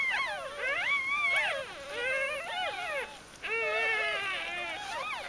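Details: High, wavering puppy whines rise, bend and fall in long overlapping strands. The puppies belong to Ari's G-litter, recorded from birth through their first four days of life in early October 2012.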